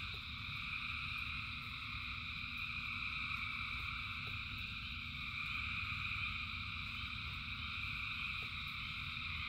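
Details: Countless frogs sing through the rain, their overlapping trills blending into one continuous high buzzing chorus, steady throughout, with a low watery rumble and a few isolated ticks of drops.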